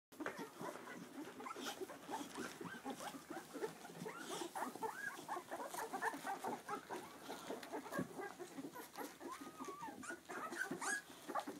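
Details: Two-week-old Clumber Spaniel puppies with their mother, making a dense, continuous chorus of short squeaks, grunts and small whimpers from several pups at once, with one longer wavering whine near the end.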